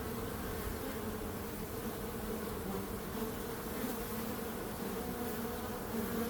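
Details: Bees buzzing in a constant swarm hum, with wavering midrange tones drifting slightly in pitch over an even low drone.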